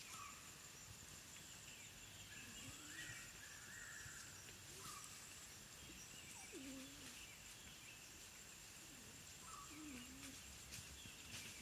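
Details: African wild dog puppies at their den: scattered thin whines and squeaky yelps, some sliding high and drawn out, others short low upturned squeals, spaced a few seconds apart over a steady insect drone with faint bird chirps.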